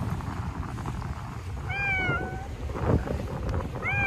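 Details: Stray cats in a Japanese park during a cold wave, fluffy in winter coats: one drawn-out meow sliding down in pitch, a brief voice in the middle, and the start of a second meow at the end, over low background rumble.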